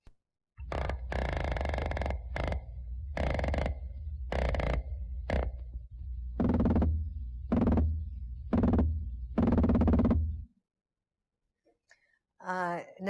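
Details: Atlantic croakers drum underwater in low, rasping bursts about once a second, part of a large group that starts calling around dusk each evening and keeps vocalizing for several hours.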